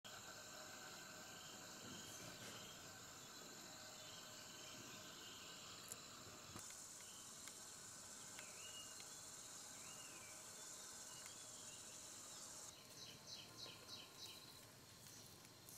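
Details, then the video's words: Cicadas droning in the desert around a camp where a shelter is being built: a steady high buzzing hum runs throughout, with a few short whistled bird notes in the middle and a louder, denser burst of insect pulses near the end. "in the sound of cicadas"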